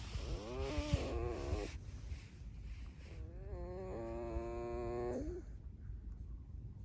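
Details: Alice, a pet red fox, squeaks in two drawn-out whining bouts, each a wavering harmonic tone held about a second, the second bout longer and steadier, with low background rumble between.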